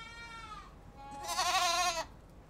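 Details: Goat calls: a thin, high, fading bleat, then a louder, harsh bleat that trembles for about a second before stopping abruptly.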